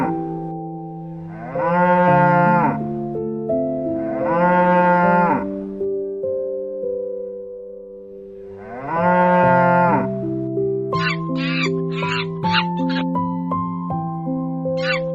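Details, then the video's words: Three long, low cow moos at roughly even spacing, each a full-toned bellow that swells then tails off, over a gentle musical backdrop; near the end, brief sharp higher-pitched sounds join the music. "Funny Animals Sounds for Kids | Cow"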